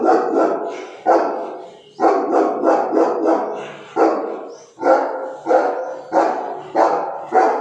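A Cane Corso barks aggressively in loud, deep, harsh bursts, about one each second.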